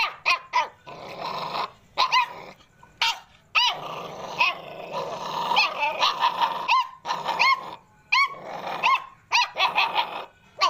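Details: Playful American Pit Bull Terrier puppies give rasping growls that run under bursts of bright, shrill yelps and barks, with brief silences between them.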